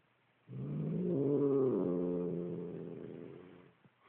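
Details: Angry domestic cat growls at its owner with a low, rough, wavering rumble that swells, holds for about three seconds, then tapers off quietly.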